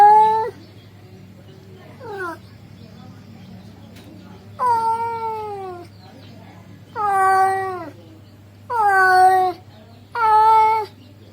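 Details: Male cat calls out to a female with six meows, several long and sliding downward in pitch at the end, one very short, spaced by pauses of one to two seconds, with a constant low hum underneath.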